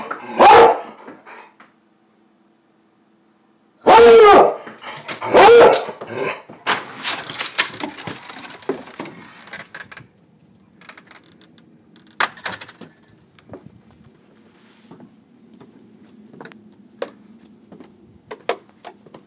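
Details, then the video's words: Plott hound mix, eager to go after squirrels outside, gives three loud bays early on, followed by scattered clicks, footsteps and handling noises with quieter stretches. "Plott Hound baying"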